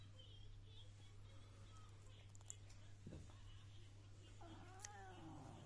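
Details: Coco, a feisty British Shorthair cat refusing to be touched, lets out one brief arching meow at the very end, after quiet talk and a soft knock, with a constant low hum throughout.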